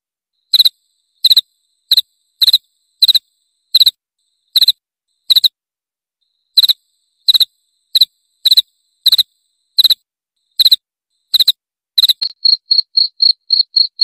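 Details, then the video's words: Cricket calling with pulsed high-pitched chirps at uneven intervals, then switching near the end to a faster run of shorter, softer chirps; no other noise. "Suara Jangkrik"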